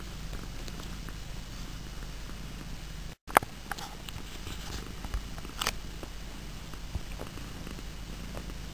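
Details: Domestic cats indoors give a continuous soft low purr, broken by a short gap of silence and a sharp knock near the middle.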